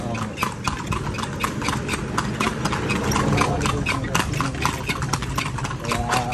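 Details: Horse carrying riders around Vigan in the Philippines, hooves striking the road in a steady trotting clip-clop about four beats per second, with people talking and an engine idling nearby.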